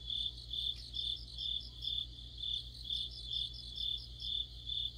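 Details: Autumn insect orchestra led by crickets, a dense chorus of high, bright chirps pulsing roughly twice a second above a soft shimmering trill, with a low steady hum underneath.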